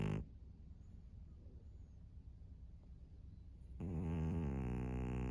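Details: Maria, a fawn 13-year-old female pug in Japan, is quiet for several seconds, then a low, rasping snore rises and carries on to the end of the clip.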